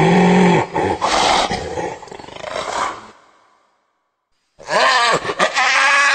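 A hyena produces rough, guttural calls with rising and falling whoops and grunting bursts. After a brief pause, a second burst of strained, bending calls follows.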